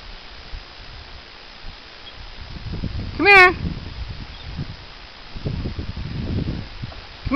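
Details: Rock chuck or woodchuck in western Colorado on an evening, whistling and chirping at people and dogs that cannot reach it among rocks. A single loud, shrill, wavering whistle lasts about half a second midway, with rustling and low handling noise around it.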